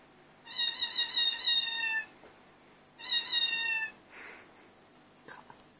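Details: Domestic cats calling in chorus, recorded on an Android phone: two long, harmonic-rich meows of over a second each, the first gently wavering, then a soft breathy sound and faint clicks in a quiet room.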